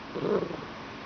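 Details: Talkative Bengal cat being petted indoors, giving a short, low trilling chirp lasting about a third of a second, while a person nearby repeatedly says "meow" to it.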